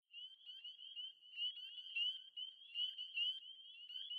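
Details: A dense chorus of spring peepers, small chorus frogs at vernal pools in New England, Massachusetts, calling on late spring evenings: high piping peeps overlapping continuously.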